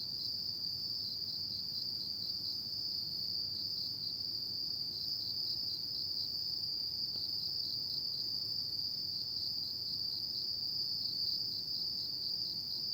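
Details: Autumn night insects sing without a break: a bright, high, rapidly pulsing trill holding one steady pitch, with muted rumbling background noise below.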